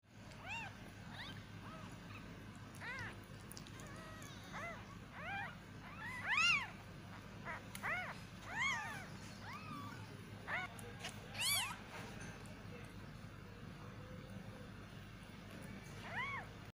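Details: Newborn baby kittens fighting, giving many short high mews with arched harmonics, some overlapping, spaced irregularly about every half to one second over a steady low hum.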